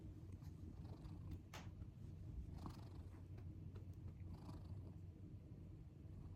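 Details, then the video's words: Deep, even rumbling snore from Shion the house cat, whose snoring is described as unique and like a human child's, with faint breathy puffs scattered over the low drone. "うちの猫のイビキが超独特すぎる【まるで人間の子供のような猫】A cat with a unique snoring sound"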